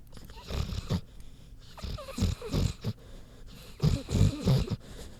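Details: Queenie, a big pig, sleeping; low rumbling snorts and grunting breaths in short irregular bursts, several loud pulses clustered around two and four seconds.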